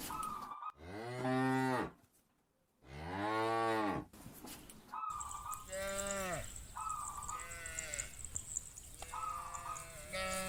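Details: Cattle calling friends to return home: two loud, full moos at the start, then softer repeated lowing roughly every two seconds over a hissy background with brief flat tonal pips.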